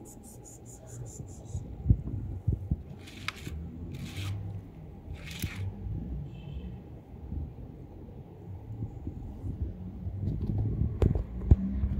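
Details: Low rumbling room noise with a few brief hissing scrapes and faint voices, and no animal calls heard.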